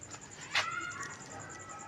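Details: A cricket at night keeps up a faint, high-pitched, rapidly pulsed chirp without a break, with a brief sharp click near the middle and soft tonal hums low in the background.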